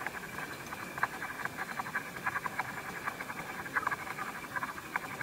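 A vine hawk-moth caterpillar chewing: rapid, irregular soft crunching clicks, several per second, over a quiet indoor hiss.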